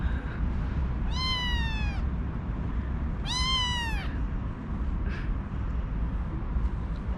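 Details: Two high, slightly falling meows two seconds apart from a newly arrived kitten in a kitten cage one morning, with faint distant squeaks afterward over a steady low rumble.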